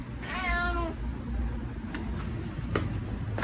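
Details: ['Domestic cat, a dog-like pet that comes running whenever called, gives one clear, slightly descending meow lasting under a second near the start, followed by soft indoor clicks and a steady low hum.']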